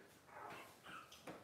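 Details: Newborn Cavalier King Charles Spaniel puppies from a September 2022 litter, tricolor and blenheim pups, give short high squeaky cries, two or three brief rising whines indoors in a small room.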